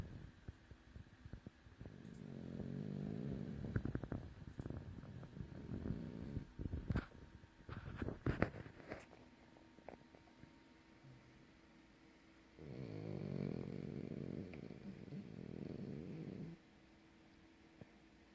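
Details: French bulldog snoring heavily while asleep indoors: two long, low, rumbling snore breaths, each about four seconds, separated by a stretch of soft clicks and rustling.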